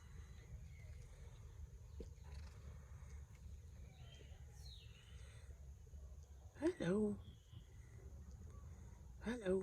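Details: Tom, a lazy domestic cat enjoying a sleep, yawns aloud: a short voiced, squeaky moan that slides in pitch, then a second briefer yawn sound near the end, over a steady low rumble.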